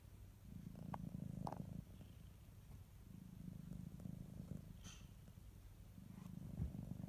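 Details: Kitty cat purring, a deep rumbling hum rising and falling in three or four breath-long swells, with occasional light taps and a faint high chirp.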